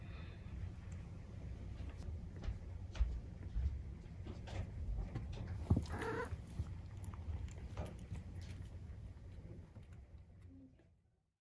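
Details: Maine Coon cat purring while nursing, kittens 43 days old: a steady, deep, low rumble throughout, broken by soft clicks and a brief higher squeak near the middle, fading away at the end.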